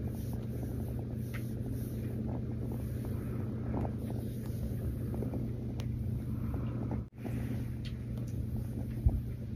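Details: Mazie, a female rescue kitten, purring while cuddled and snuggled: a steady, low rumbling drone that holds almost unbroken throughout, with a brief dropout near the end and faint soft rustles above.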